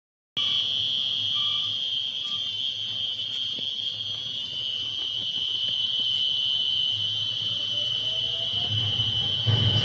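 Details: A cricket found in the silence of night gives a steady, high, ringing trill that holds one pitch without a break.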